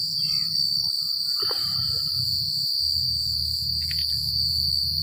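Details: Crickets at night on a secluded country night, a dense steady high-pitched trill with faster pulsing overtones, over a low rumble of wind and a few faint scattered chirps from other callers.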